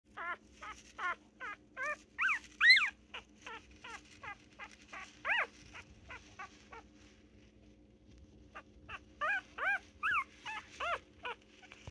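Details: Puppy whimpering in a series of high, arched whines and yips, bursts of several calls separated by short pauses, with a steady low electrical hum underneath.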